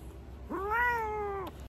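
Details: Quiet, sweet meow from a pet cat eating in winter time: a single clean, tonal mew of about one second, rising quickly, holding steady, then dipping at the end, with a soft background hum.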